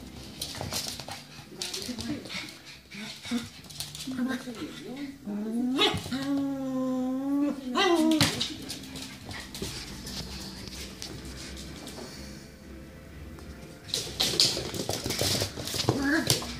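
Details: Cavalier King Charles Spaniels, two dogs kept as pets, with a drawn-out wavering whine that rises and falls over about two seconds, amid short yips, rustling and people talking in the background.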